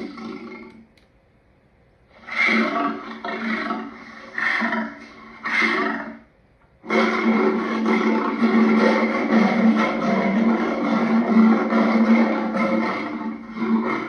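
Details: Lion voicing three short gruff grunts about a second apart, a pause, then a long unbroken rumbling growl that runs for over seven seconds to the end.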